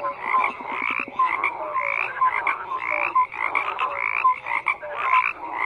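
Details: Croaking frogs in full chorus: rough pulsed calls overlap while short, slightly rising whistle-like notes recur about twice a second above the din.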